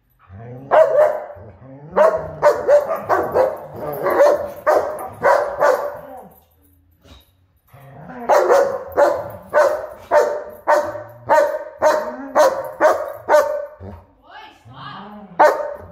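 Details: German Shepherd and Huskies play fighting, giving bursts of rapid, harsh barking, several barks a second, broken by a brief quiet pause before the barking resumes just as fast.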